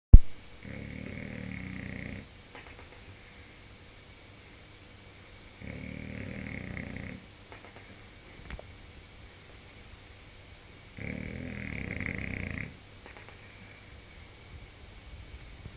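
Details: Bulldog named Ron snoring, three long rumbling low snores, each lasting about a second and a half, spaced roughly five seconds apart with quiet breathing between them, indoors.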